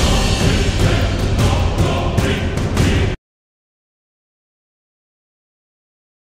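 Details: Loud dull thumps and banging over a rough low rumble for about three seconds, then complete silence, with no animal call.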